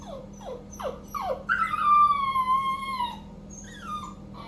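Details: A 3-month-old male Cockapoo puppy, left alone while his owner bathes, cries with short falling whimpers, then one long wavering high whine.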